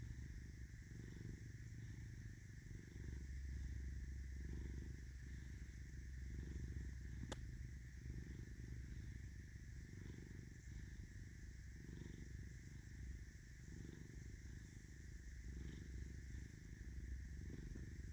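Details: Domestic cat named Caesar purring: a soft, continuous low rumble with faint rhythmic pulsing, steady and quiet throughout, over a constant faint high-pitched hum.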